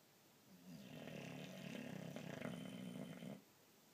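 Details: Sleeping pet boxer produces a single loud, buzzing snore nearly three seconds long, rough and fluttering throughout, heard indoors with no other sounds.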